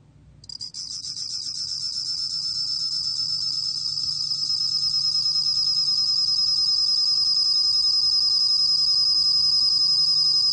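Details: Korean bell cricket recording from the National Institute of Biological Resources, 2020: after brief stuttering starts, a bright ringing trill of fast regular pulses builds in loudness and holds steady. A soft hum lies beneath.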